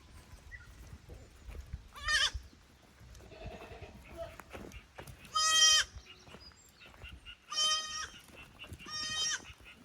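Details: Young goats from a lower pasture visiting an upper pasture on a handmade goat farm in Japan, May 2024, unsure in the unfamiliar place; loud bleats with strong harmonics at about two, five-and-a-half, seven-and-a-half and nine-and-a-half seconds over quiet background noise.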